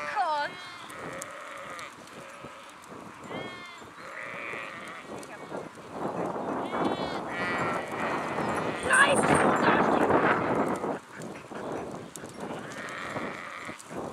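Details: Sheep in a flock give quavering bleats at the start and around four seconds, then a long stretch of broad rushing noise covers the middle before another bleat rises near the end.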